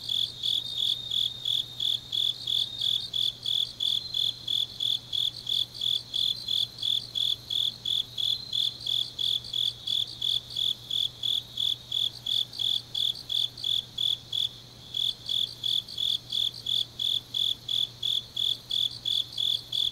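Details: Grass insects on a deep autumn night in Changnyeong, South Gyeongsang, South Korea: a steady, high, bright chirping pulsed about three times a second, with a fainter second caller overlapping and a low constant hum beneath.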